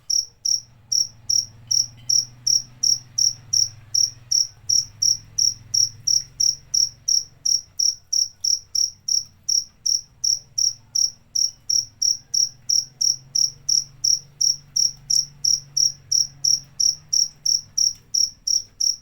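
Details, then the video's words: Continuous cricket calling: sharp, high, evenly spaced chirps, close to three per second, run without a break through the whole stretch. A low background hum rises and fades. "Suara Jangkrik"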